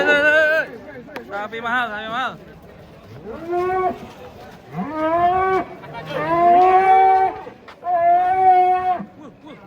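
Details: Rare giant cattle unloaded from a truck, mooing repeatedly: about five drawn-out, rich harmonic calls, each arching up then settling, spaced a second or two apart, with brief human voices between.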